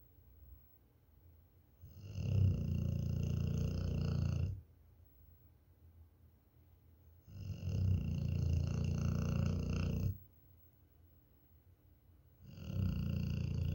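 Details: Pet dog snoring like an engine, indoors: long, deep rumbling snores about two seconds each, separated by quiet pauses of roughly three seconds, with a buzzy low drone and faint upper overtones.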